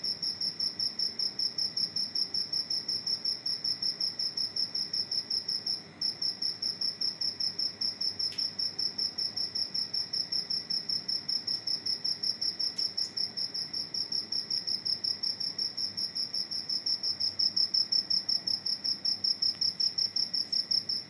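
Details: A cricket that entered a house chirps steadily in a high, pulsed trill, repeating several times a second.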